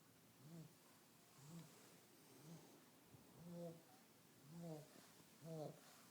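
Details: Fat, lazy pug sleeping: rhythmic nasal snores about once per second, six in all, each a short low rattling rumble, with the later ones louder and rougher.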